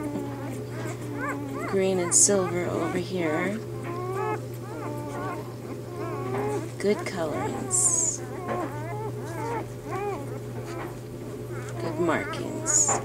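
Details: Newborn Bernese Mountain Dog puppies in their first three days, a litter from the mother Bear: many overlapping high, squeaky whimpers and short rising-falling squeals crowd together, some sharper bursts, over a steady low electrical hum.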